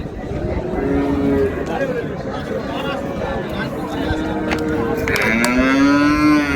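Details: Improved-breed dairy cows and calves at the Raniganj market in Dinajpur give scattered long moos, a few overlapping, one rising then levelling near the end, amid chatter, passing vehicles and general crowd noise.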